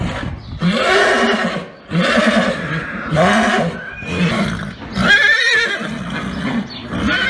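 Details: Arabian horse giving a series of low, throaty, pulsing neighs in repeated bouts about a second long, separated by brief pauses, with some higher, harsher calling near the end.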